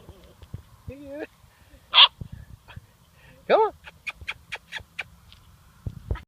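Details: Seven-week-old German Shorthaired Pointer puppy Duke encountering a dead bird for the first time: a man's encouraging voice, then one loud yap and a rapid series of short thin barks, with another voice at the end.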